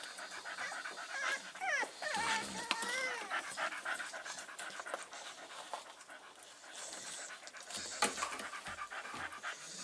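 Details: Panting from Staffordshire Bull Terrier Stella, tired, recorded 27 September 2020 alongside her five-week-old puppies: quick breathy pulses, a few high squeaky whimpers early on, then continuous softer huffing.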